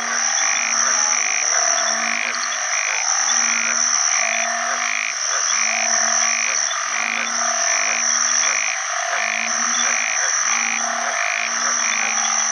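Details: At the start of the rainy season, after heavy rain, a chorus of male banded bullfrogs calls for mates from water with low, mooing notes about a second long, overlapping, over a steady high insect drone.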